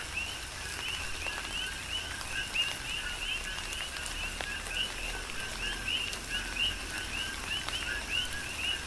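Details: A rainy Big Island, Hawaii night chorus of coqui frogs: many overlapping two-part calls, each a brief low note then a bright upward-sweeping whistle, repeating continuously over soft rain patter and scattered drips.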